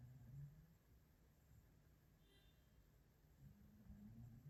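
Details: Maine Coon Django snoring while asleep in a hand-shaped armchair in the morning: faint low rumbling breaths at the start and again at the end, a quiet lull between, in a hushed room.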